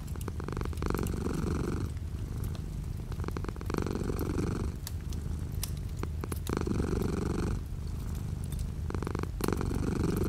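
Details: Domestic cat purring with light rain falling outside a window: a deep, steady rumbling purr that swells and eases in alternating breath phases about every two seconds, with soft scattered raindrop ticks throughout.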